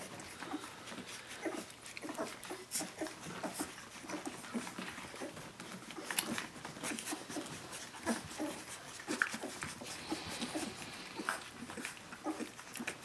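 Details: At seventeen days old, Brenda's puppies whimper and yelp for their mother, short piping cries coming in uneven bursts, some louder peaks standing out from the steady background of smaller squeaks.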